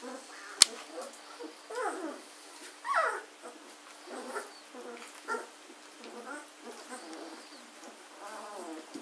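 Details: German Shorthaired Pointer puppies aged 14 days, filmed 24 August 2016, make repeated short whining yelps and falling squeaks spread through the clip, with a sharp click near the start.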